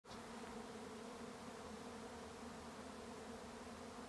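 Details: A honey bee swarm on a regenerative farm in County Kilkenny, Ireland, fills the air with a steady, dense, droning buzz. Identified as a Western honey bee swarm.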